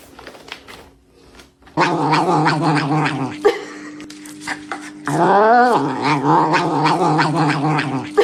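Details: Domestic cat in a funny cat compilation giving loud, drawn-out harmonic yowls, a sustained wail from about two seconds, then a rising and falling wavering cry, with a faint human voice indoors.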